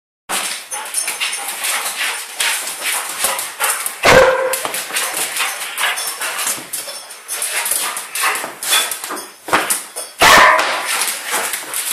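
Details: Twelve-month-old female Old English Sheepdog, excited and giddy while being chased. Dense run of sharp, noisy bursts and short yips with rustling and scuffling, plus two louder barks near the middle and end.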